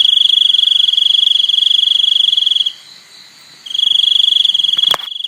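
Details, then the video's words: Shrill, continuous cricket trill built from fast even pulses. It pauses for about a second, then resumes. A sharp click sounds near the end. "សំឡេងសត្វចង្រិត ។ Crickets sound"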